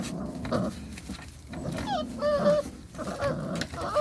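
Belgian Malinois puppies yap and whine in high, thin bursts, several voices overlapping.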